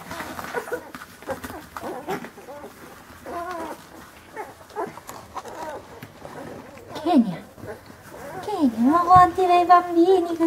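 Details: Rhodesian Ridgeback puppies born on 25 March in Verbania, Italy, having dinner: brief wavering, rising and falling whines and yelps cluster near the end amid chewing and scuffling, with people talking throughout.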